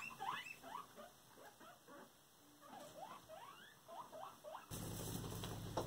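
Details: Cuddles the guinea pig bullying another guinea pig at home: a steady series of upward-sweeping squeaks, several per second, then a sudden loud rumbling noise that covers the end.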